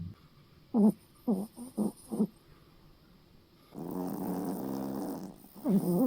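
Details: Poodle snoring loudly at night while sleeping: four short rough snorts in quick succession, then a longer broad rasping breath and another snort at the end; a person complains about the noise just before.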